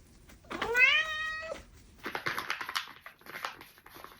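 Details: Former stray cat named Tora, about four years old, living indoors a year and a half: one clear, drawn-out rising meow lasting about a second, followed by rustling and handling noises in a small room.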